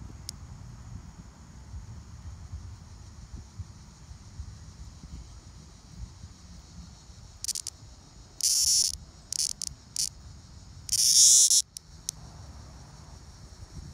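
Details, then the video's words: Two hand-caught male Linne's cicadas in Rumson, New Jersey, 2020, one freshly molted, produce scattered brief shrill buzzes, then two stronger half-second bursts near the end, with faint background hum between. "Male Neotibicen linnei cicadas"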